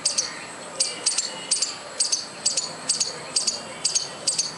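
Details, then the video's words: Squirrel noisily calling for no clear reason, producing crisp high double chirps at a steady pace of about two per second, with little other sound behind them. "squirrel making noise without any reason"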